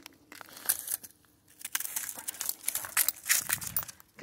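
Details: Crinkling and crunching rustles mix with bursts of speech indoors, irregular and without any clear animal voice.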